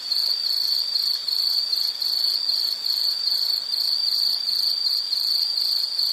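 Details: High, thin insect chirping in rapid, even pulses that never stop, a steady ringing tone with overtones and light background noise.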